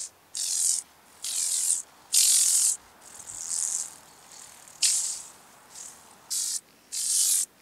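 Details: Speckled buzzing grasshopper (Bryodemella tuberculata) at Vorderriss, Germany, on 11 August 2022: a series of loud, dry, high-pitched rattling buzzes of about half a second each, separated by short pauses, with some softer bursts between them.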